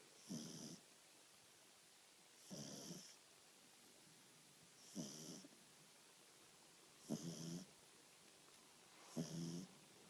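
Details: Little French Bulldog Dexter, aged two months, snoring in his sleep; five soft, wheezy snores arrive at roughly two-second intervals, each a short breathy rasp over low background hiss.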